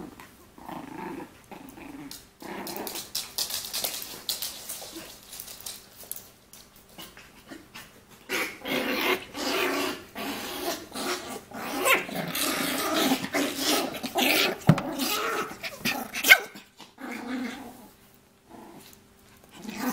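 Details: Shih Poo, a shih tzu and mini poodle cross, growling in rough, throaty bursts that come in irregular runs over twenty seconds, some drawn out and some short and snorting, separated by brief quiet pauses.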